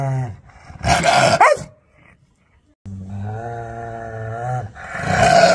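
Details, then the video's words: Aggressive, angry dog. A brief growl opens into a harsh snarling bark, then silence, then a steady drawn-out growl that ends in another snarling outburst. "Angry Dog Barkings Sound || Aggressive Barking Dog"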